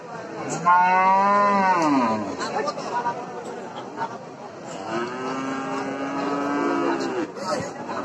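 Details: Cow mooing twice, a strong falling moo near the start and a long steady low moo after a pause, with faint background voices and clicks.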